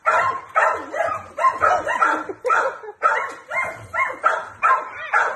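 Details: Dog barking during flirt pole play, a four-year-old male Jack Russell Terrier x Plott hound mix with a companion dog; dense, excited barks about two per second, some with a slightly whining edge.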